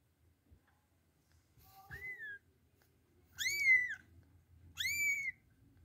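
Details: Kittens whose mother cat will not feed them, later placed with older kittens. Three high, thin mews, each rising then falling and lasting about half a second, come at roughly one-and-a-half-second intervals. The room is otherwise quiet.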